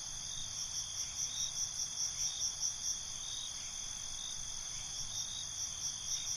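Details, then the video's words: Crickets calling at night, a constant high-pitched ringing trill with regular pulsing chirps roughly twice a second, several insects overlapping, and a quiet low-frequency background rumble. "Cricket Conversations"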